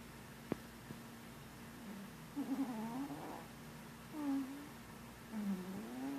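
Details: Marshmallow, a pet cat snoring while asleep and dreaming, utters a few quiet wobbling low groans after a sharp tap, ending in a short rising murmur.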